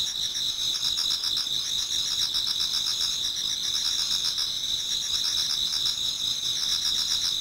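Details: Autumn insect chorus in a Japanese garden near dawn, with high sustained trilling and a beaded, rapidly pulsed band on top, many overlapping singers at an even volume.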